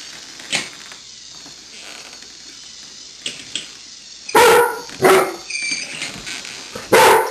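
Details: A golden retriever named Miles, unsure about a walking Lego AT-AT toy, gives three sharp, resonant barks in the second half, spaced unevenly. Soft clicking and shuffling sounds come before them.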